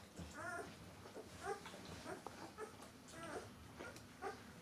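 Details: Thirteen-day-old White Swiss Shepherd puppies making soft, brief whimpers. The short tonal squeaks repeat roughly every second over a low, steady hiss.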